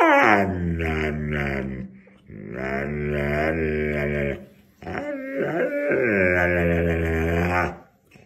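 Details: Dog vocalising indoors in long, drawn-out, wavering moans, with three sustained bouts of about two seconds each separated by short pauses, the pitch bending up and down in a talking, howl-like way.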